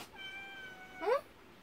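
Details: Cat in a countryside yard, kittens waiting while the mother cat refuses raw fish; a faint steady tone, then one short, rising meow, with a man talking to the animals around it.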